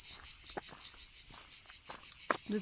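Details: A steady, high cricket trill pulses rapidly along the walking stage from Cahors to Lascabanes, with light scattered taps and a brief low murmur near the end.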